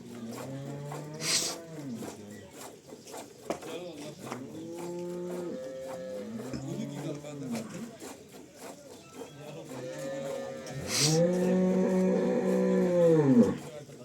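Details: Cholistani Jersey cross cow offered for sale in Pakistan, March 12, 2025, giving long, drawn-out low moos, several mid-clip and a louder, sustained one near the end, with voices and clattering farmyard noises around.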